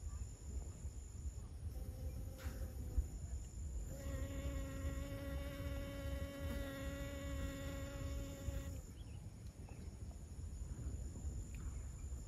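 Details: Pollinating honey bee at Siosar, Karo, North Sumatra, Indonesia, approaching with a brief faint hum, then a clear, even, droning buzz for about five seconds before departing; low rumbling background and a steady high whine throughout.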